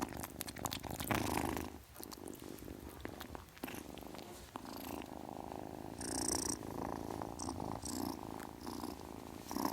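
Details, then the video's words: A kitten purrs in a dense vibrating rumble through the whole stretch, with scattered crackles early on and brief breathy, hiss-like bursts around six to eight seconds. "Kitten purrs sound, kitten hiss sound"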